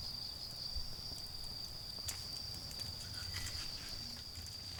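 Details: High, even trilling of autumn insects next to a garden fire, steady without pause, with scattered crackles from the embers and a faint low drone of traffic far away.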